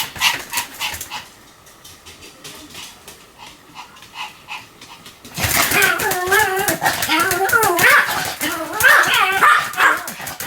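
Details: Sam the Pomeranian barks repeatedly: a string of evenly spaced yaps, a quieter stretch of softer barks, then a loud, busy run of high wavering yelps and whimpering barks.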